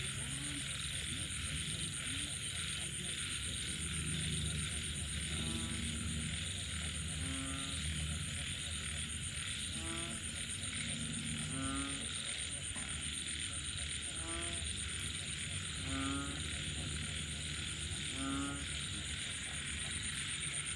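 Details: Frogs calling at night after rain: short, nasal, harmonic croaks repeat roughly every two seconds, about eight in all, over a steady high buzzing insect chorus and a low rumbling background.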